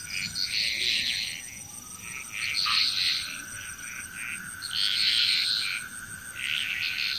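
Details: Frogs calling together in Bali, Indonesia, bursts of high, rattling croaks swelling and fading in waves every second or two over a constant thin background drone.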